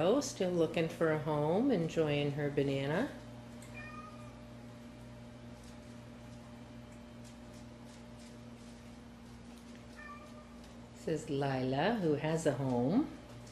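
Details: Persian cat indoors giving a run of repeated meows, each arching up and down in pitch, about five in the first three seconds, then a quiet stretch of room hum before another burst of meows near the end; a human voice is also present.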